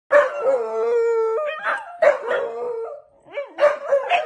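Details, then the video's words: Corgis howl at their owner in the morning and keep going until the owner gets out of bed, in long, wavering tones that slide up and down with short breaks between voices. "Corgis will not stop howling until their owner gets out of bed"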